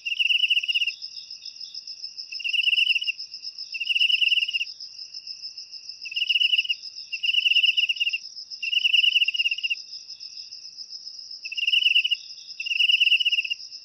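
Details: Cricket sound used to repel household rats naturally: short pulsed trills repeated irregularly, eight bursts in the stretch, over a constant high-pitched ringing background.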